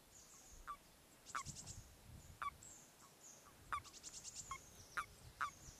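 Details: Common toads in mating season, heading to their spawning waters with males clasping females, give short, soft, nasal croaks in irregular bursts, several notes close together.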